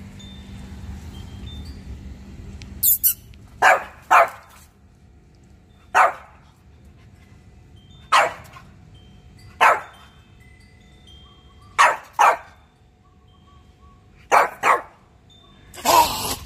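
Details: French Bulldog barking while playing hide-and-seek at home: short sharp barks in irregular bursts, some in quick pairs, about nine over sixteen seconds, with a faint steady hum underneath.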